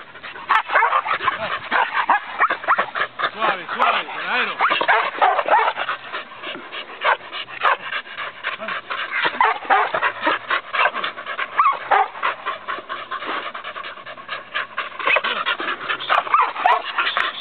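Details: Rapid, irregular barking from an Australian Cattle Dog, a herding breed; bright yapping barks tumble over one another at a frantic pace, while a human voice talks faintly underneath.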